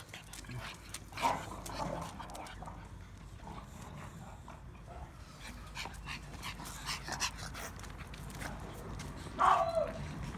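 Boston Terrier puppies give a couple of short, thin whimpers over a soft background of shuffling and clicks.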